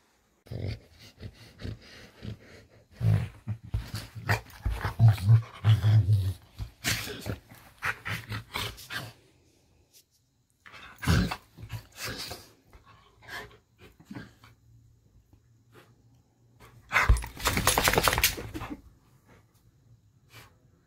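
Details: Pet Rottweiler waking up in the morning, giving low rumbling growls and grumbles in uneven bursts with breathy panting between, separated by quiet pauses; one loud, harsh burst comes near the end.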